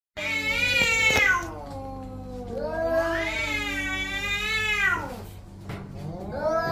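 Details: Orange domestic cats fighting each other: long, wavering yowls rich in harmonics, rising and falling in pitch, one drawn-out howl after another with a sharp click near the start.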